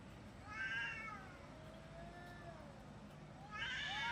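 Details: Cats fighting: long wavering yowls with rich harmonics, one drawn-out moan sliding up and down, louder rising wails at the start and end, over a low steady background hum.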